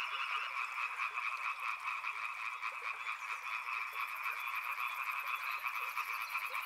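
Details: Riverside frogs form a dense croaking chorus of quick raspy pulses, overlapping without gaps; a shrill rapid ticking joins high above in the second half.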